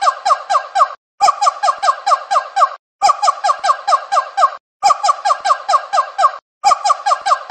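A monkey gives bursts of rapid, squeaky chattering notes, each burst lasting about a second.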